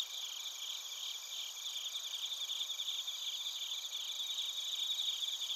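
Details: Chorus of bell crickets and other crickets in Narita, Chiba Prefecture, Japan: steady shimmering high trills from many insects layered together, quieter and continuous, with faint background hiss.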